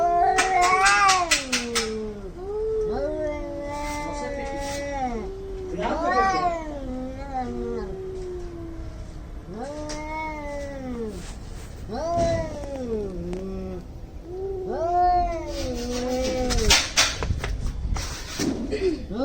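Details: Fighting cats, angry and making weird noises, giving a long run of harmonic moaning yowls that bend up and down, with clusters of sharp clicks at the start and near the end.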